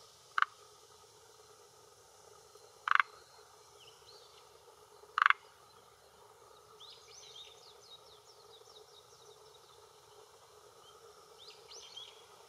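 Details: Forest green tree frog male at the shore of a hillside pond in Japan, croaking with a throat vocal sac to hold territory and attract females, around 18:10 in early June 2021; three loud, abrupt clucks roughly two and a half seconds apart, faint birdsong after.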